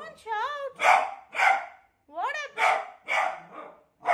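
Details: Beagle fearful of a new cot, alternating rising, quavering whines with pairs of loud barks in a back-and-forth pattern.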